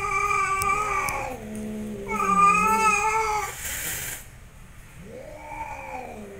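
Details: Angry fighting cats growling: loud, drawn-out caterwauls with many harmonics and a wavering pitch, two long yowls back to back, a brief scratchy rustle, then a quieter rising-and-falling moan.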